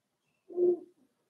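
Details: Cavalier King Charles Spaniel puppy, four weeks old, in a puppy pen with its litter: a single short, low whine rising and fading within half a second, with a faint trailing squeak and silence around it.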